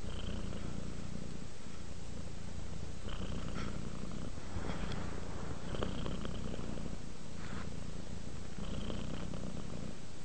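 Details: Relaxed cat purring as it drifts off to sleep, a constant low rolling rumble with breathy rises every few seconds as it inhales and exhales.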